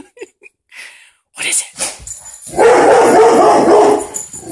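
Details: Butler, a pet dog indoors, reacting to a dog on television: after faint thumps and voices, a long, loud, rough, harmonic growling bark that pulses steadily for about two seconds.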